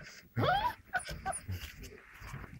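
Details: Six-week-old Standard Poodle puppies playing in their pen; one short yelping whine sweeps sharply upward, followed by faint scuffling and soft murmurs.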